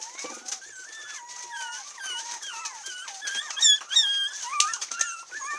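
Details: A 37-day-old orange female Pomeranian puppy from Kochi, Japan, recorded 7 February, gives a stream of thin, high squeaks and whimpers rising and falling in quick succession.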